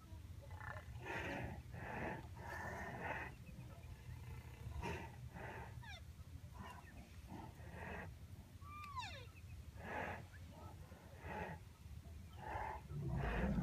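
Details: White rhinoceros calling with a run of short, breathy, harmonic squeaks and harsh snarls over a low rumble, from a range of calls spanning calf squeaks to adult snarls and wails.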